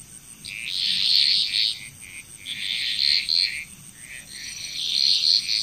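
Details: Frogs calling together in Bali, Indonesia, their high trilled croaks rising in three swelling bursts separated by brief quieter gaps, with a faint constant high background hiss.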